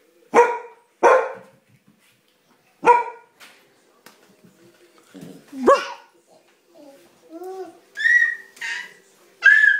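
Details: A family dog barks sharply at playtime, two quick barks then a third, followed by a soft whine, while a baby laughs with high, rising squeals in between.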